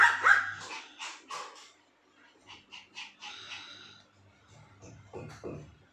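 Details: Little dogs reacting to the noise of a drilling machine, giving bursts of short, sharp yips and barks, loud at first, then pausing and resuming in a ragged, uneven series.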